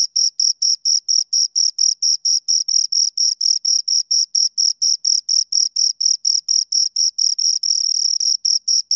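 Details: Close-range chirping from two crickets: evenly spaced shrill pulses around four a second, continuous and rhythmic, with a thin upper harmonic and a silent background.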